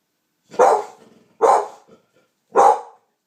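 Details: American Pit Bull Terrier of champagne colour reacting to a strange noise with three loud, clipped barks about one second apart, the room otherwise quiet.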